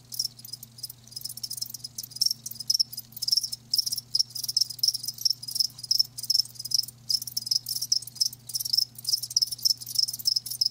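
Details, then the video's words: Crickets, live, keep up dense rapid high-pitched chirps in close succession, a shimmering insect trill broken by brief gaps, over a faint constant low electrical hum. "Live Crickets 60min "Natural Sound""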